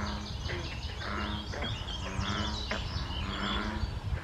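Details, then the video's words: Frogs calling at a small pond where the Colchester Spur meets the Air Line Trail on May 21, 2024: low droning notes repeat in short bursts beneath busy, high-pitched birdsong. "Frog Chorus"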